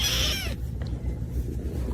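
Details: Domestic cat from a funny cat compilation, near a napping sibling; a short high harmonic meow in the first half second, then low steady background hum.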